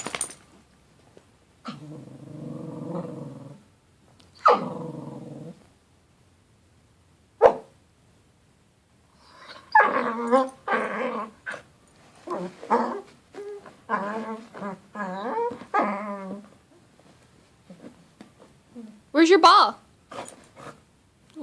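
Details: Puppy having a temper tantrum while playing with its ball: a low rumbling growl, then sharp yaps and a run of choppy, wavering growl-whines and squeals in bursts, with a person coaxing in the background.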